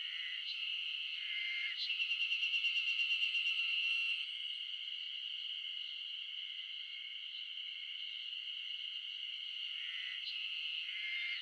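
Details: A mid-June chorus of wild Ezo spring cicadas in a Shin'etsu highland, Japan: unbroken high shrill droning, a burst of rapid pulsed buzzing around two to four seconds, and brief louder accents near the start and end.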